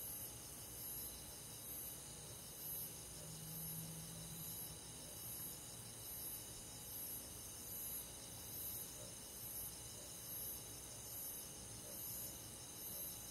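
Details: Crickets on a midsummer night in a countryside forest, high thin chirps pulsing roughly once a second over a steady shimmering insect chorus, with a brief low hum near the start.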